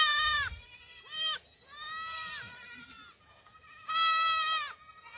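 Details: Black goat kids running on a farm in Gimhae, South Korea, in July, giving bright, quavering bleats that rise then fall, short calls alternating with longer drawn-out ones and brief pauses.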